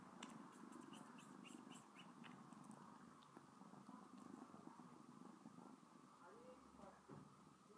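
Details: A pet cat named Sona purrs while licking a person's finger, a steady low rumbling drone with brief soft clicks early on and a voice briefly audible near the end.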